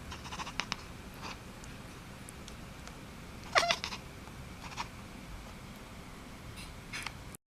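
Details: A domestic cat gives a single short, strained call, rising and then falling, about halfway through. Faint scattered clicks and taps and low background hiss fill the otherwise quiet rest of the recording.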